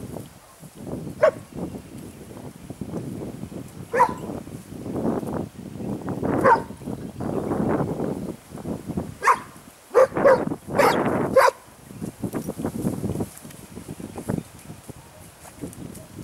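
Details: Segugio Italiano scenting hound working on a training run at Sofiko, Evros, Greece, 12 May 2018, gives intermittent high yelping barks, some in quick pairs, amid rustling footsteps through vegetation.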